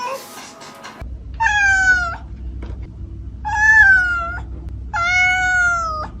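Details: A cat gives three long, level, nasal meows about every one and a half seconds, each steady in pitch before ending, over a low background hum after a brief burst of music at the start.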